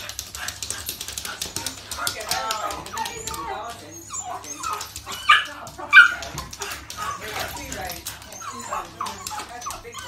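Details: Bailey the cockapoo and Oreo, a French bulldog and pug cross puppy, playing together at a family barbecue on a bank holiday weekend; short sharp yips and barks come in quick irregular bursts over people talking nearby.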